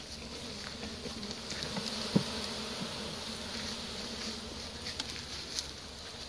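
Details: Honey bee swarm being captured with a pole bucket on 25 March 2015; a dense, steady hum of many bees fills the air with a faint low drone band, broken by a few soft knocks and taps.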